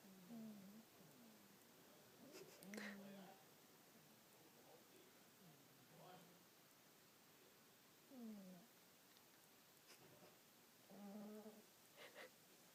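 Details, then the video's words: An elderly female cat snoring as she ages: soft, low, nasal snores with a rising tone, repeating every two to three seconds over a faint steady hiss in a quiet room. "Snoring Cat"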